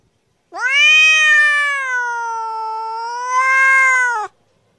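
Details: Long drawn-out cat meow lasting nearly four seconds, steady and harmonic-rich, dipping slightly in the middle then swelling louder near the end; silent background.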